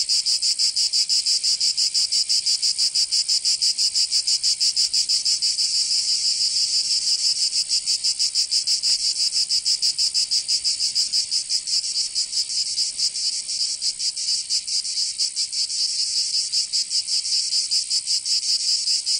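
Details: In Provence, southern France, summer cicadas keep up a continuous shrill buzz; the pulsing is less regular here, blurring into a near-steady sizzling wall of sound with slight swells in loudness.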